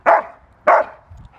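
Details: Carma, a retired IGP2 Rottweiler who loves protection work, gives two loud, abrupt barks about 0.6 seconds apart after being called out at a training field on 1 October 2023. The rest of the moment is quiet.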